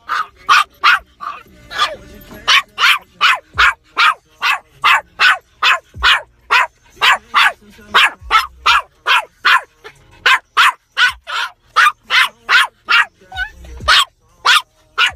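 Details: Toy poodle barking with road rage inside a car: sharp, loud barks fired in a rapid, fairly steady string, roughly two to three per second for the whole stretch, with short quiet gaps and faint car rumble between.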